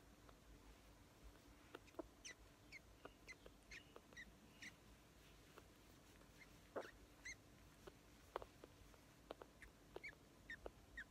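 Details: Squeaky Wednesday, an 8-week-old female grey-headed flying-fox pup in care after dropping off her mother during a starvation event, squeaks while feeding: faint, short, high squeaks and clicks scattered irregularly over a steady low hum.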